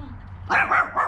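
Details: Chowder, a 14-week-old English Staffordshire Bull Terrier puppy, excited during obedience training, gives a quick run of short, sharp, mid-pitched barks, two close together then one more, over a low steady indoor hum.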